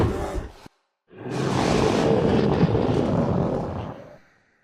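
A bear gives a brief growl, then a deep, rasping roar held for about three seconds.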